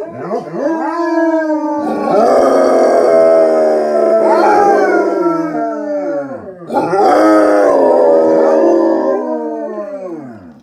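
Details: Four Basset Hounds howl together, two on view and two out of view as backup howlers, giving long, mournful howls that waver and then slide downward as each breath runs out.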